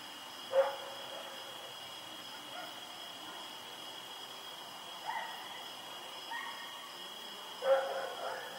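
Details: Rex, a dog recorded on the night of 7 October 2018 while running around, gives a few scattered barks: one clear bark early, softer ones mid-clip, a final louder bark, with a steady high hum behind.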